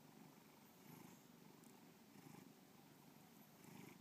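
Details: Bubba, a pet cat, purring indoors in a steady low rumble that swells and eases roughly every second or so, with no other sounds over the continuous drone.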